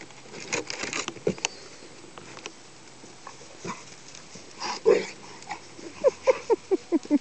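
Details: Pet dogs at play, a Pit Bull and a Rat Terrier named Diesel and Phoebe: scuffling and soft patter, then a quick run of about six short, mid-pitched whimpering yips in the final second, with faint voices nearby.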